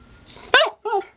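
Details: A hyper puppy named Charlie lets out a sharp bark and then a shorter, softer yelp in a small room, with faint low background hum.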